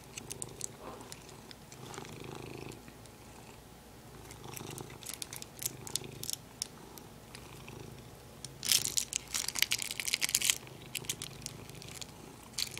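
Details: Pet cat purring beside its favourite plastic, a low steady rumble running under the whole stretch, broken by bursts of crinkling and rustling plastic, loudest near the end.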